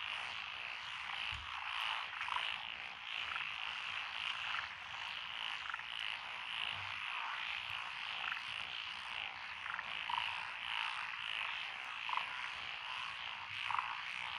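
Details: Rice paddy frog chorus among lotus fields in Echizen, Fukui, Japan, recorded June 2021 on a rural road; unbroken massed croaking with occasional sharper individual notes rising above the background.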